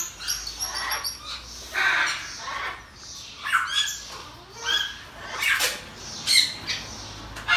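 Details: Pygmy marmoset kept as a pet, recently born two babies, letting out drawn-out harsh squawks and nasal chirps in an uneven series, with a thin high whistle at the start.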